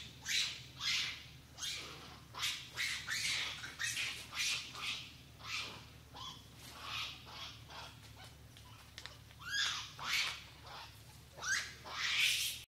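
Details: A long-tailed macaque (Macaca fascicularis) near Semporna in Malaysian Borneo gives harsh, raspy squawks in quick repeated bursts.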